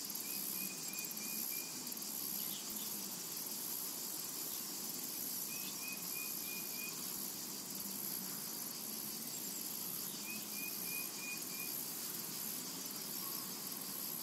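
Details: In a summer meadow, cicadas keep up a steady shrill buzzing chorus while short runs of quick, evenly spaced high chirps repeat about every four to five seconds over it.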